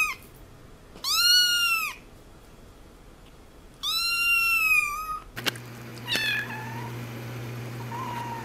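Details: A three-week-old kitten, possibly hungry, gives high, thin meows that rise and fall in a smooth arch.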